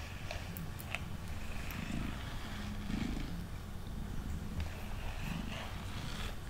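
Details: Mango, a male pet cat sitting on a table, purrs steadily while being brushed indoors; a low, rumbling drone runs throughout, overlaid by soft scratchy brush strokes and faint clicks.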